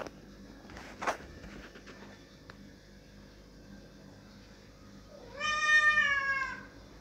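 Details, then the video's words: Cat crying loudly, wanting the door opened. A sharp knock or thud comes early, then quiet, then one loud, strained meow that swells upward and slides down again for about a second near the end. "Cat crying laudly please open the door"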